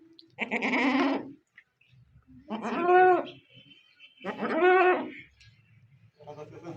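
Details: Goat during a kid delivery, giving three long, wavering bleats about a second each, spaced roughly two seconds apart, with a person laughing and speaking nearby.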